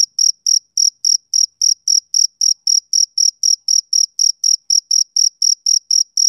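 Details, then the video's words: Male cricket chirping on a summer evening: clean, high, even pulses, about four per second, each a short bright trill with a faint overtone above, steady and unbroken against a silent background. "Cricket Chirping Sound Effect"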